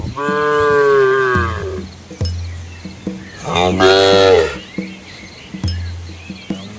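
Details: Red Asian village cows in a large herd with calves crossing a small flowing river in rural countryside: two long, falling, richly harmonic moos, the second higher and rising, with soft low background tones between them.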